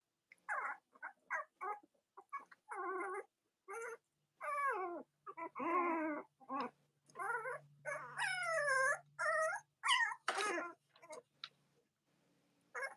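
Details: Young Cavalier King Charles Spaniel puppies, litters of Robin and Myra, kept indoors: rapid rising and falling whines and squeals, some drawn out and wavering, with a faint low hum underneath.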